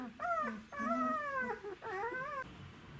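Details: Czechoslovakian Wolfdog puppies, 12 days old, from the Orizon and Rahan litter, filmed on 3 December 2020: three drawn-out whining cries with clear harmonics, each sliding gently downward over about half a second to a second.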